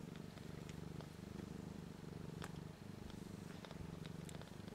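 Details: One-week-old nursing kittens, a litter of three females and one male feeding on queen Missy "BlueBelle" and only starting to learn to purr; a continuous, deep, rapidly pulsing purr fills the whole recording with a few faint taps.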